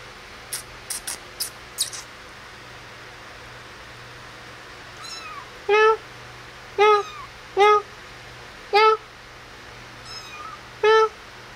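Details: Playing and feeding kittens indoors: a few faint clicks early, then a series of short harmonic meows after five seconds, irregularly spaced about a second apart, with softer distant mews between them and a low background hum.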